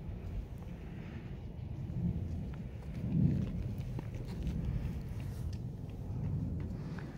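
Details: Only low rumbling noise and soft thuds like footsteps are heard, with no animal voice. No meow or other call stands out.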